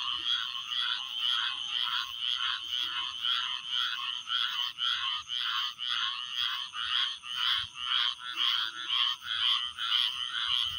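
Frogs chirp in a dense, steady chorus, bright rasping pulses repeating about twice a second.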